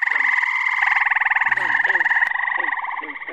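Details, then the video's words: Frogs calling in early June in upstate New York as spring and summer species overlap: a continuous, rapidly pulsed trill, steady and loud, with fainter chirps from other frogs underneath. "Frog Orchestra. Treefrogs! Toads! Peepers! Green frogs!"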